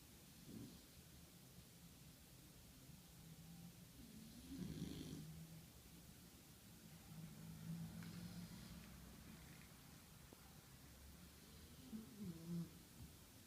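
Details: Little Shar Pei puppy, worn out after the day, sleeping soundly and snoring; soft, low rumbling snores swell near one, five, eight and twelve seconds against a quiet room background.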